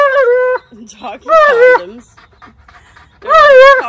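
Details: Alaskan Malamute named Tonka yelling and demanding indoors: loud, wavering, howl-like woo calls in three bursts, each rising and bending in pitch, with quieter murmuring between them.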